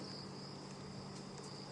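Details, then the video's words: Faint, steady, high-pitched trilling of crickets at night, over a low rumbling hum, during a sunset safari drive in Kruger Park on 14 March 2016. "Lovely sounds of the night. And you might just be able to hear very subtle sounds of crickets."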